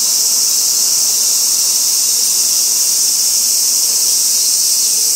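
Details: Robust cicada calling on a tree trunk in a small park by a railway-side housing complex in Kitano, Japan, late August. A dense, continuous shrill buzz holds at an even loudness for the whole stretch.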